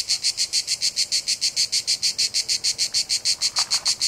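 A cicada sings in fast, even pulses of high, hissing buzz, several each second.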